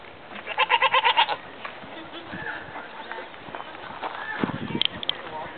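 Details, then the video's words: Mini goat visited at Bearizona gives one quavering, stuttered bleat early on, then a person speaks and there are faint rustling noises. "Talking Mini Goat"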